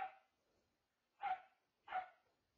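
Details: Three crisp barks from one of two new pet dogs, a Corgi/blue heeler mix named Nugget or a Shepherd mix named Charli, spaced irregularly with quiet gaps between them.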